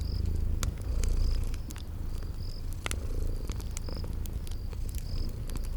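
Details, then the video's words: Cute sleeping kitties purr in a spring garden ambience beside a fireplace. A continuous deep, soft rumble fills the background while the fire snaps and crackles and brief high chirps repeat at irregular intervals. "Relax with Cute Sleeping Purring Kitties by a Crackling Fireplace"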